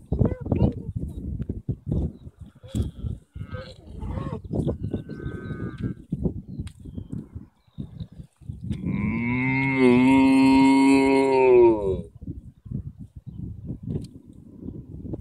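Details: Irish field cattle: several seconds of human chatter, then a strong, held moo of about three seconds that wavers slightly before fading into more talking.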